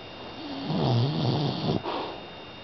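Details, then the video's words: Sleeping Pit Bull puppy Hailey, five months old, snoring loudly indoors as she constantly does: one deep, rumbling, wavering snore lasting about a second, ending in a sharp snort-like release. "Cute Snoring Pitbull Puppy"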